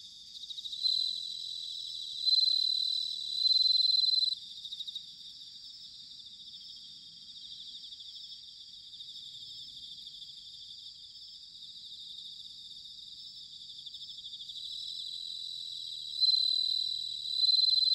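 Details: Japanese bell cricket singing in autumn at Sanuki, Chiba: loud, ringing, tinkling phrases of two to three seconds at the start and end, separated by a long stretch of quieter, steady high chirring from surrounding insects.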